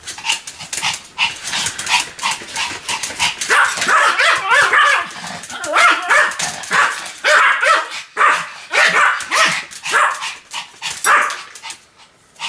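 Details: Continuous barking from Sam the Pomeranian, a steady stream of shrill, clipped yaps packed closely together, some running into quick doubled barks, with a brief lull near the end.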